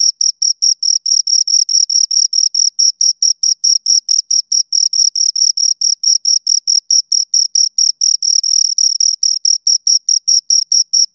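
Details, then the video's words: Two crickets keep up a long, relentless series of shrill, evenly spaced chirps, close to two and a half each second, the pulses sharp and uniform with clean silence between. "Two Crickets Chirp Sounds"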